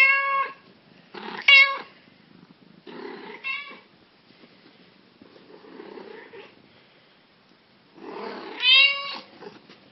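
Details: Black cat with yellow eyes meowing: clear, tonal, slightly rising-falling meows in short bursts near the start, around one and a half seconds, three and a half seconds, and a longer one near nine seconds, with quieter breathy sounds between.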